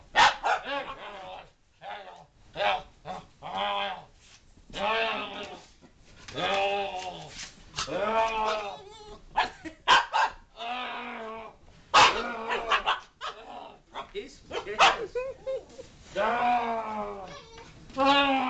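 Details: Pet dog named Chewy going wild as people talk through a paper tube nearby; excited barks, yelps and howl-like wavering cries come in quick uneven bursts, with human voices now and then.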